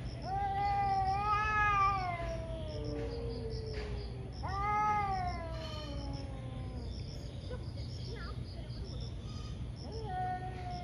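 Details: Two ferocious cats fighting one morning: long drawn yowls with rich harmonics, rising then sliding down over about two seconds, one after another, with a lower answering moan between them and steady background hum.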